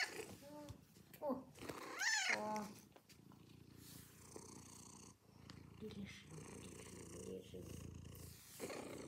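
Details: Domestic cat purring: a low, continuous rumbling texture fills most of the recording, preceded by a few seconds of human speech at the start.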